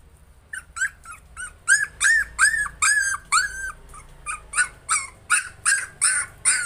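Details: Puppy trying to overcome its fear gives a rapid run of arched, high yelping whines, about two or three each second, growing louder and more insistent toward the end.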